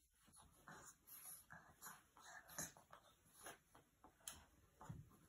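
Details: Boston Terrier puppy playing with its roommate and keeping him from sleeping, giving short whimpering and grunting sounds in bursts about every second, with indoor room noise and a faint steady hum.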